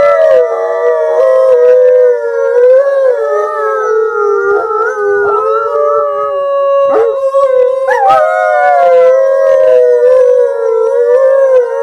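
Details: Gray wolf. Wolves howl in chorus, their drawn-out tonal voices overlapping and sliding gently up and down. A few higher, sharper rises break through near the end while the others hold steady.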